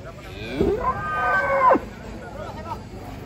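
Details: Jumbo cattle at Pasar Jok market in Indonesia, arriving by truck in the morning: one strained, wavering moo of about a second amid crowd noise and voices.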